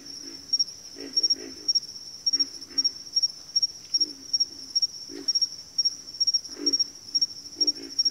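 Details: Frogs calling in a backwater chorus: throaty low grunts in short runs roughly every half second to second, under a constant shrill pulsed trill.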